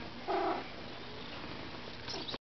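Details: Siamese cat named Padme' talking back to its owner indoors: one short, clear harmonic meow near the start, followed by quiet room hum and a faint, higher squeak just before the end.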